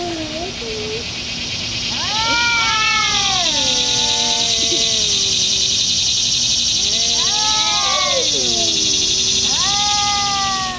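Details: Two domestic cats, one black, fighting and making weird noises: drawn-out, wavering harmonic yowls rise and fall in two bouts, with a steady hissing noise throughout.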